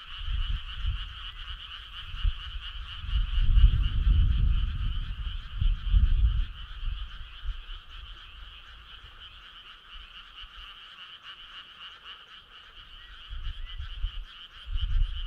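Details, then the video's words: Midsummer night frog choir by a country road, many frogs croaking in an unbroken, rapidly pulsing drone, while heavy low rumbles swell around the middle and again at the end. "Cool frog sound"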